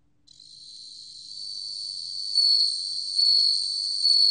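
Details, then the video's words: Bell cricket singing, 2020 National Institute of Biological Resources recording: a continuous bright, high-pitched trill rising slowly in volume, then pulsing with three stronger bell-like swells roughly every 0.8 seconds over a quiet background. "방울벌레, 1번 듣기, 곤충소리"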